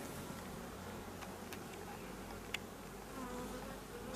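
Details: Continuous buzzing of honey bees at a drone-laying hive with a large population, a dense low drone with a few faint clicks and a brief knock.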